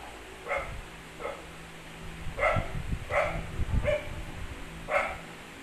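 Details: Pomeranian dogs at play, giving about six short, high yapping barks spread irregularly over several seconds, with low thumping and scuffling noises between them.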